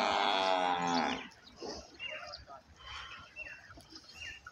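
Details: Nili-Ravi buffalo on a big Pakistani dairy farm lets out one loud, drawn-out, rich-toned bellow lasting about a second. Softer farmyard noise follows.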